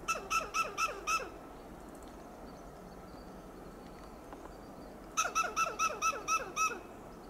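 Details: Loud alarm calling from a western gray squirrel perched in a coast live oak, Del Monte Forest, California: five staccato, squawking barks in quick succession, a quiet gap, then a longer run of about seven harsh clucks.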